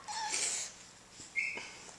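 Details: Two male puggle puppies, one a little bigger than the other, at play; a short high thin whine glides briefly, then a second brief squeal follows a second later, with faint rustling and otherwise quiet surroundings.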